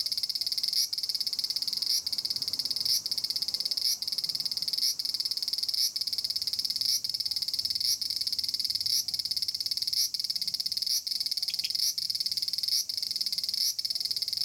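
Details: In a persimmon tree in Japan, a noisy Aburazemi, the large brown cicada, keeps up a steady, harsh, high-pitched drone. Short clicks or dips punctuate it roughly every second throughout.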